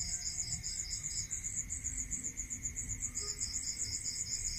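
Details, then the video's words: Crickets calling at night in a rural area: rapid, even high pulsed chirps in two overlapping bands, one pausing and resuming, over a steady faint hum and low rumble. "Listening to Cricket Sound"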